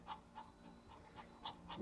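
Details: Quiet, steady panting from young Belgian Malinois puppies in training at the Argalašov kennel, 20 January 2013, breaths evenly spaced about every quarter second, faint and close with little else audible.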